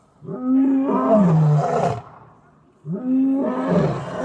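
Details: Lions in Taigan lion park in Crimea giving their evening roll call; two loud, deep roaring calls, each about two seconds long with harmonic bands sliding downward, separated by a short pause.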